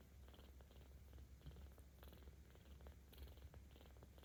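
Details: Seventeen-day-old kitten Aochan, cared for by cat volunteers in Tama City, Tokyo, filmed 10 October 2022, purring louder while being petted: a steady deep rumbling drone throughout, with soft rustling and faint clicks from handling.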